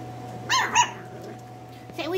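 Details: Miniature Schnauzer puppies kept indoors give two short, high-pitched yips with clear overtones in quick succession, followed by a low room hum and a person beginning to speak.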